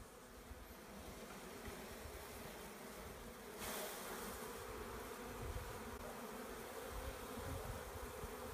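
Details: Many honey bees buzzing as a swarm is taken in, a thick steady drone that swells slightly louder partway through, with a short rush of broadband noise.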